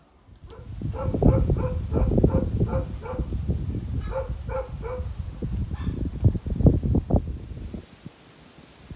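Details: Bhote Kukur, the Tibetan Mastiff, kept at a kennel in Okhaldhunga, Nepal, barking in a steady run of evenly spaced barks, then a second short burst, over heavy low rumbling and rustling handling noise.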